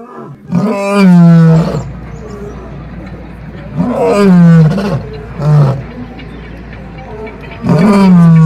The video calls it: ketika si raja hutan mengaum,ngeri suara auman singa jantan